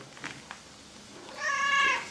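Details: Indoor pet cat joining in with a sung song during a pause: after faint taps, one quieter, wavering meow swells and trails off near the end.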